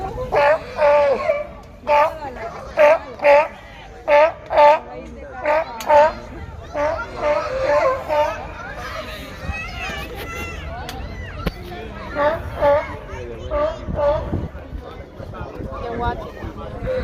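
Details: Sea lions in a zoo enclosure, said to be looking for something to eat, bark in short, hoarse, honking bursts, about every second at first, then irregularly, with people's voices and children's chatter throughout.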